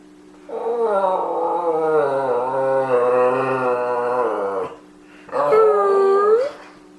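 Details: Domestic dog howling on command inside a small room: a long wavering, slightly quavering howl of about four seconds, then a pause and a shorter arched howl, over a constant low hum.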